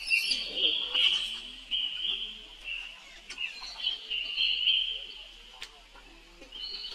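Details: Baby monkey calling for help as his older sister Rainbow runs away very fast; a nearly unbroken high, wavering, shrill cry that rises and falls in pitch, broken by short gasping pauses, with faint rustling beneath.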